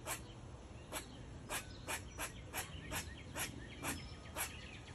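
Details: An eastern gray squirrel in a maple tree gives sharp, scratchy barks repeated about twice a second.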